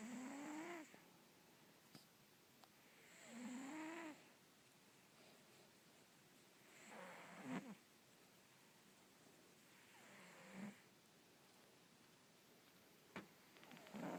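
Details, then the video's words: Russian Blue cat snoring while asleep indoors: soft, rasping breaths about every three seconds, each rising then falling in pitch, with quiet pauses between and a few faint clicks. "the Russian Blue snoring again"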